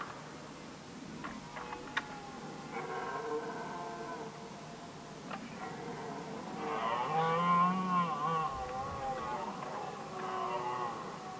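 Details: Red deer stags contest the hinds during the rut in Västmanland, Sweden, in 2010. Drawn-out, harmonic, wavering roars overlap from several animals, growing louder and fuller after a quieter opening.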